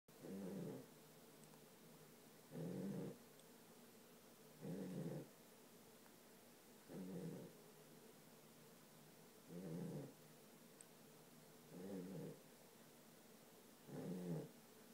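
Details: Charlie, a pet dog, snoring in sleep: short raspy nasal snores repeating about every two and a half seconds, seven in all, with quiet pauses between.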